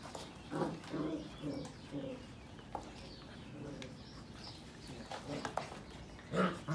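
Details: Sheepadoodle puppies (Pepper and Cocos litters, 2020) playing, with several tonal whining yelps in quick succession early on, a pause, then more sharp squeaks and a final yelp near the end.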